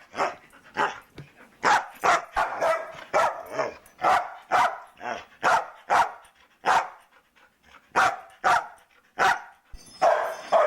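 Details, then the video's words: Talkative foster dog Luca barks steadily indoors during the holidays, with a long run of sharp, evenly spaced barks roughly every half second and a few brief gaps. Faint other noise is heard at the end. "The MANY Sounds of Luca"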